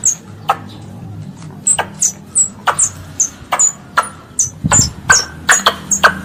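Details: A pest squirrel calling its mother gives a rapid string of high, thin, downward-slurred chirps, about two to three per second, mixed with sharp dry clicks. A low hum runs underneath throughout.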